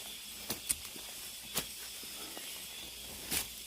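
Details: Cicadas deep in a mountain forest: a steady, dense high hissing drone with no breaks, and a few sharp footstep crunches along a hiking path.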